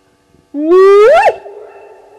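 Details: Hyena calling at 02:35 on 29 May 2020 at Gowrie dam waterhole, Djuma Game Reserve, Sabi Sand Wildtuin, South Africa, caught by a live waterhole camera: one loud, rich whoop sweeping upward then dropping sharply, on a quiet night.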